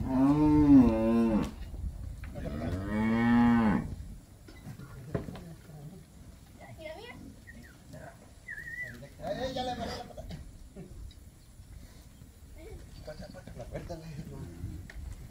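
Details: Calf in Campeche, 20 August 2022, gives two loud, drawn-out mooing bawls, each about a second long with a rising-then-falling tone, followed by quieter rustling, faint voices and scattered background noises.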